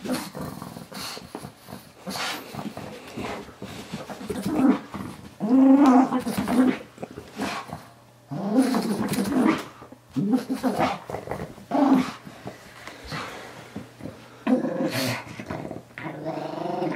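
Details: Pet Pug Moo Man fighting a new Ikea toy guinea pig indoors, making wobbly angry chugs: low growling bouts lasting a second or two, separated by quiet pauses, with faint voices in the room.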